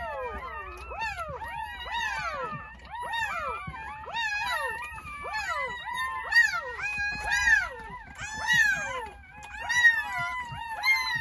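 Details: Crying newborn Jindo pups from a New Year's Day birth of nine at a countryside home: repeated shrill squeals, each arching up then sliding down, roughly once a second from several puppies at once.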